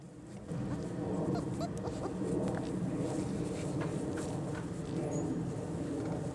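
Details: Litter of four-week-old German Shorthaired Pointer puppies on their first time outside, December 1, 2009; faint, short high whimpers and squeaks scattered over a steady low rumbling background.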